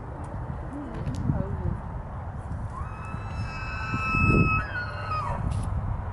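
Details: A big bull elk bugles during the rut in Estes Park, Colorado, a rising whistle that holds high and clear before breaking off.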